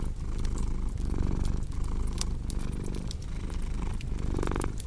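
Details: Domestic cat purring steadily in a low rumble, each breath cycle swelling and easing about once a second, with sharp crackles and pops of a fireplace scattered throughout.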